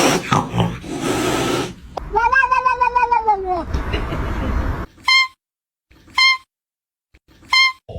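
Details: Cat making strange noises: rough, noisy grunting sounds at first, then a drawn-out tonal wail, followed by three short, clear chirp-like meows spaced about a second apart.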